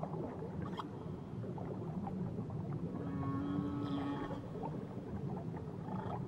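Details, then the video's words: Underwater whale song near Tahiti: brief low grunts early on, then a drawn-out steady moan with bright overtones for about a second and a half, all set against a dense, rumbling sea background. "Nature Sounds Only Whales & Beaches"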